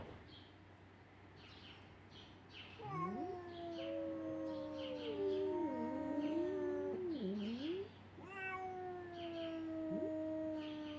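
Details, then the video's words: A tiny Siamese kitten gives long, wavering, yowling meows that bend up and down in pitch while pestering a ginger cat. "Tiny Siam Kitty annoying Ginger King weird sounds included"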